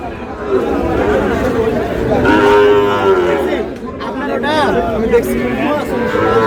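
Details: Sahiwal bull calf at a busy cattle market, bought by a farmer from Khulna on 19 August; a few short curved moos stand out over steady chatter of buyers and sellers.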